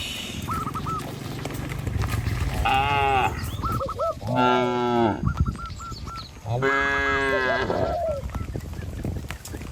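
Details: Cattle driven along a countryside road between trees and rice fields toward a pen: three hoarse, rising-then-falling moos, with a run of brief higher honking notes repeated around and between them.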